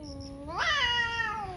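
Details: One of two fighting cats on a morning, its low moan suddenly sweeping upward into a harsh, loud yowl that then slowly slides back down.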